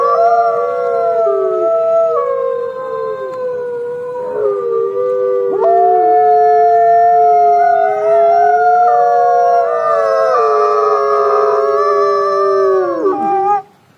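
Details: Wolf howling, captured on a trail camera: long, sustained, tonal howls from overlapping voices that hold steady, step between pitches and slide, continuing for over ten seconds before ending abruptly.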